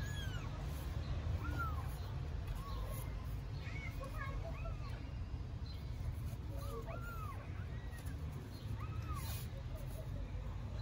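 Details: Several hungry newborn kittens, likely Istanbul strays, mew loudly in thin, high, rising-and-falling cries that overlap and repeat every second or so, calling for their mother to feed them, over a steady low rumble.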